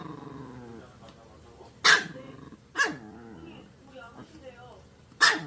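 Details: Maltese dog letting out three abrupt barks, the first two close together and the last after a pause, over soft human talk and low murmuring in a quiet indoor setting.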